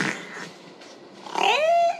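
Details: Wiki, a 14-year-old female killer whale, makes a breathy burst, then a harmonic, slightly falling tone imitating a spoken "one, two," mimicking human speech.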